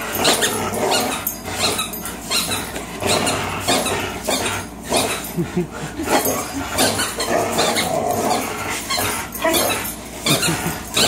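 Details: Tug-of-war game between two 3-year-old dogs, a Greyhound named Fox and a German Shorthaired Pointer named Miles: steady throaty growling in quick rhythmic bursts, a faint squeak in places.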